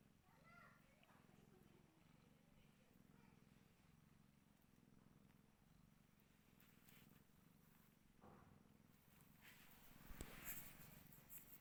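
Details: Rescued mother cat nursing hungry kittens, purring in a continuous low rumble; a couple of short, thin mews rise early on, and handling and rustling noise grows toward the end.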